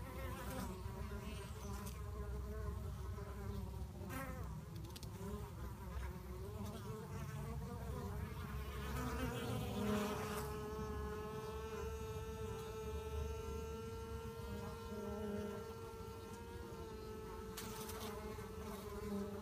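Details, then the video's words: Fighting bees; a steady droning buzz holds one pitch with rich overtones while other buzzes swell and fade around it, over a low rumbling background hum. "Bees fighting"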